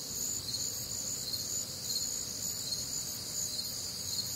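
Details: Crickets singing through a humid, warm Midwestern summer night; many overlapping high trills merge into a steady shimmering wall of sound, with quick rhythmic pulses and faint low rumble beneath.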